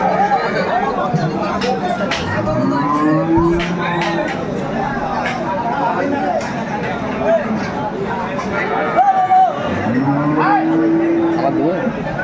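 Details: Cows and calves offered for sale at Aftabganj haat, a livestock market in Dinajpur, Bangladesh, 30 July 2024. Two drawn-out, arching moos about seven seconds apart rise over constant market chatter, with men talking and brief music.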